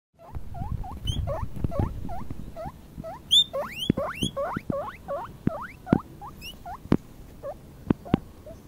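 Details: Four-week-old guinea pig baby named Mini-Maus, standing on a lawn outdoors for the first time, squeaks loudly and repeatedly: short rising whistled squeaks, some long sweeping upward wheeks, with rustling and soft tapping in the grass.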